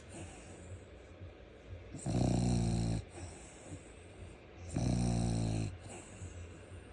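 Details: Sleeping Frenchie snoring in two loud, buzzy, low rumbles about three seconds apart, each close to a second long, with faint breathing between.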